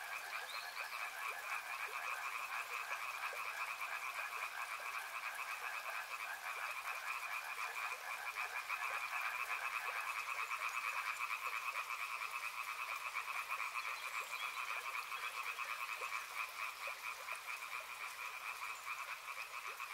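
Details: Dense chorus of frogs near a river, pulsing croaked trills overlapping without pause and swelling slightly in the middle, accompanied by a constant hiss of flowing water.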